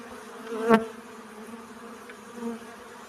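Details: Honey bee collecting pollen, a steady low buzzing hum with harmonic bands, one louder close pass swelling briefly near the start, then a softer second pass later.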